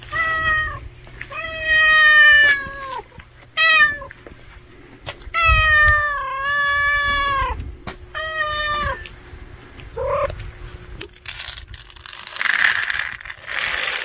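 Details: Loud, insistent meowing from a hungry stray cat: a run of six calls, some short, others long and wavering, with brief pauses between them, followed by rustling noise at the end.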